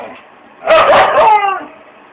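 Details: Siberian husky singing along with its owner indoors: a single drawn-out, wavering howl of about a second, rich in harmonics, rising then sliding down, with faint room hum before and after.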